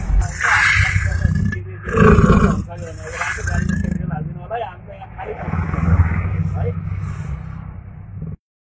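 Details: Caged man-eating tiger that had killed nine people, trying to pounce: deep, rough roaring and growling bursts in the low register, overlapped by loud human voices talking throughout.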